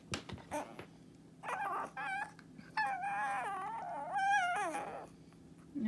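A Shih Tzu 'talks' in wavering, drawn-out whines and yowls that rise and fall in pitch.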